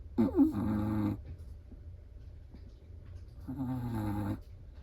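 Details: Two clear snores from a sleeping Chihuahua, each a drawn-out, buzzy, rattling breath lasting about a second, about three seconds apart, with quiet between them.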